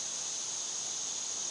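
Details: Periodical cicadas in a backyard fill the air with a steady, shrill, hissing chorus, singing constantly; one sits on a balcony step.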